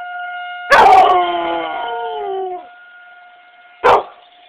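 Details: Eleven-year-old female chocolate Labrador Retriever let outside to howl at a monthly tornado siren test: one long, falling, wavering howl over a steady siren tone, then a brief loud burst; siren drones throughout.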